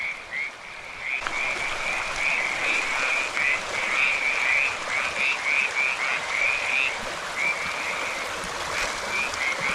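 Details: California tree frogs (Pseudacris cadaverina) active at night in a riparian area of Millard Canyon, San Gabriel Mountains, Los Angeles, give short, rasping mid-pitched croaks in quick, uneven series over a steady hiss.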